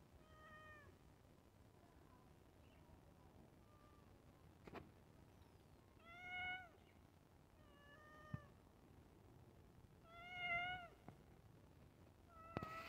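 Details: Pet cat meowing while waiting for food at iftar: a series of clear, tonal, harmonic meows, several fainter and about five louder, spaced a couple of seconds apart, in a quiet indoor setting.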